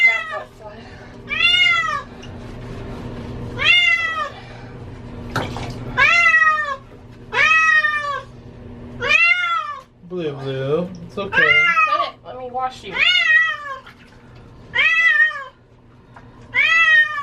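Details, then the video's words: Cat wailing through a bath because she hates water, giving a long series of loud arched meows, each about a second long and repeated roughly every two seconds, with a person's reassuring voice and a low indoor hum. "Cat Getting A Bath ( Cat sounds like she is saying Help Me)"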